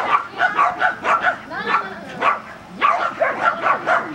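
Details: Border Collie at agility practice in Vale do Sol, Guapimirim, barking in a fast run, then a brief pause with a whiny, sliding vocal sound before the barking resumes.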